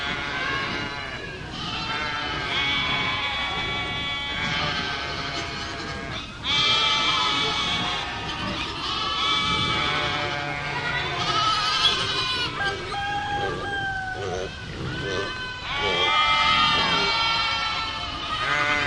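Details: Loud goat bleats, long harmonic 'maa' calls roughly every two to three seconds, some voices higher-pitched, several overlapping animals.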